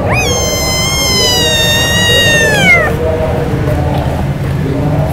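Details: Thirsty kitten meowing to ask its mother for milk while children play with it. A single long, high, harmonic-rich meow holds steady for nearly three seconds, then bends downward and stops, over low background murmur and hum.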